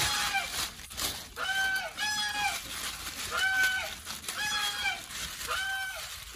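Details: Having just been petted, the otter Titi wants a good fish meal and voices it in bright, strained squeals, each rising then dropping, spaced irregularly about every second, over a low background murmur.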